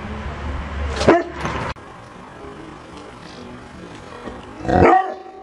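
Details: Rhodesian Ridgeback with a liver nose, trained to bark when told: two sharp single barks about four seconds apart over a low background hum.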